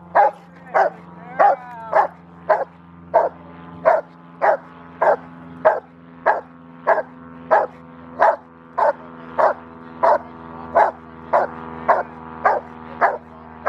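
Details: Rottweiler barking during training at a Victoria Rottweiler club on October 7, 2019: a long even series of sharp barks, roughly one and a half per second, over a constant low hum.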